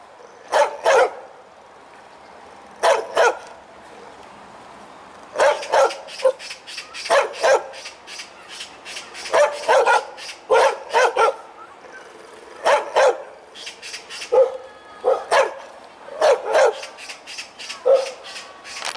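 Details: A big-voiced dog, tail wagging, barks in rapid volleys: clusters of three to six sharp barks separated by brief gaps, continuing steadily, plus a few softer yips between bursts.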